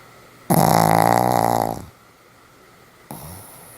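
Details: A Pomeranian called Sam in deep sleep, 1 November 2015, lets out a loud, harsh, rattling snore of over a second that fades away, then a second snore begins after a short silence.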